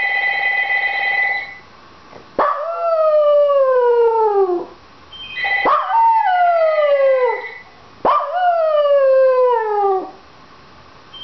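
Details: Penny, a pet Dachshund, howls because she wants the phone answered: a ringing telephone, then three long howls, each bending downward in pitch, spaced about three seconds apart, with the ring returning between them.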